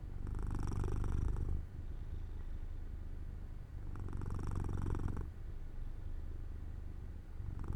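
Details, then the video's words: Jojo, a house cat settling to sleep near a sunny open window, gives a rhythmic rumbling purr with two strong swells about four seconds apart and a softer hum between them. "My Cat Makes Sounds"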